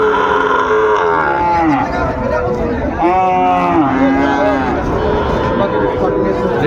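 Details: Sahiwal bull calves traded at the start of Ambari cattle market, Dinajpur, on 27 February: several low, drawn-out moos with rising and falling tone, overlapping a steady crowd murmur and voices of traders.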